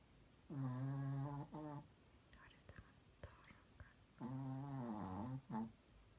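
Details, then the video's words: Chihuahua named Scott asleep in REM sleep, dreaming, snoring loudly: two long, droning, nasal snores of about a second each, low and rich in overtones, with faint soft clicks and breathy sounds between them in a quiet room. "El Chihuahua Scott en fase rem, ronquidos fuertes"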